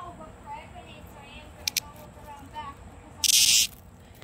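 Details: A cicada on September 2, 2022 gives a short, loud, harsh buzz after a couple of brief clicks, over a thin high hiss; cicada.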